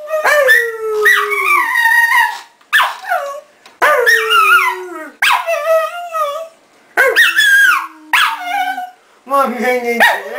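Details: Bóris, a dog, keeps up a string of whiny, yodelling howls and yips, pitch swooping within each short phrase, with quick gaps between about eight bursts.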